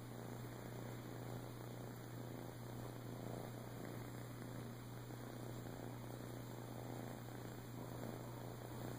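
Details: Flame tip Siamese tomcat Boo, a rescue adopted in Clearwater, Florida, in 2014 after being abandoned as a kitten, keeps up a continuous throbbing purr, low and even, with a steady background hum and thin high-pitched tones.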